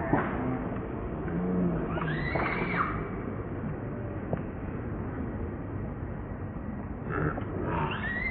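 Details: Hungry newborn monkey named Moonpie begging its mother to feed it. High, bending squeals come in two bursts, early and near the end, with low rumbling noise throughout.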